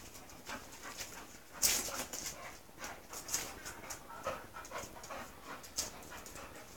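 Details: Mush, a female English Bull Terrier nearing her second season, greeting the male Spike: hissing, airy pants and snuffling puffs come in uneven bursts, one sharp loud snort early on.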